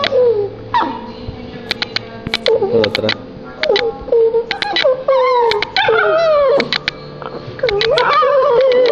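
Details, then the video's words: A Silky Terrier dog howls or 'sings' in wavering, tonal, mid-pitched howls that rise and bend, broken into several long phrases, with sharp clicks and knocks in between and people talking in Spanish beforehand. "Silky Terrier Singing (Howling)"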